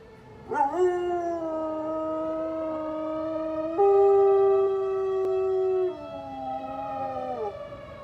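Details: Eli, a pet dog, howling as the tornado siren sounds, as it does every Saturday around noon: a sudden rising onset, then a long, steady, harmonic-rich howl that steps up midway, holds, and slides down at the end.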